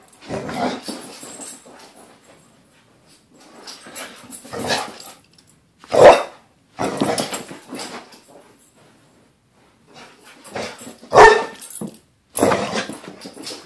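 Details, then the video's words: Pit bull Luna happy to be back home after a weekend away, giving excited yelps, whines and several loud sharp barks in irregular bursts with short pauses, some growl-like grumbling between them. "Luna is happy to be home"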